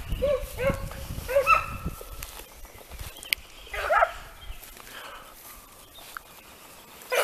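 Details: Italian hound (Segugio Italiano) working on hare during training: a run of short, tonal baying yelps early on, then a louder, ringing bay midway, over rustling and outdoor background noise.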